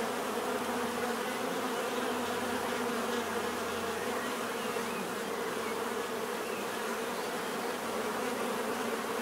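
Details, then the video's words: Bees produce a constant buzzing drone, smooth and unbroken, low humming tones under a soft broad hiss, steady from start to finish. "bees therapy relaxing natural buzzing sound"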